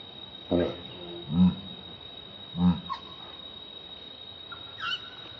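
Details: Hungry baby monkey named Leo begging its mother for milk, giving three low, drawn-out moaning cries about a second apart, followed by thin, high whistled squeaks near the end, with a constant electrical hum behind.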